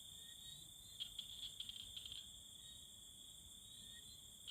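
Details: Courting tree frogs (khiat tapat) give a rapid, uneven burst of about a dozen sharp clicks packed into just over a second. A continuous shrill insect chorus hums behind them.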